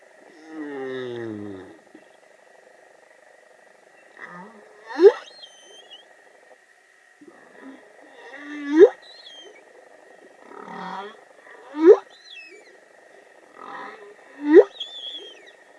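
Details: A young humpback whale (Megaptera novaeangliae) sings in the waters of Vava'u, Tonga: a low moaning opening, then sweeping upward whoops repeated every few seconds.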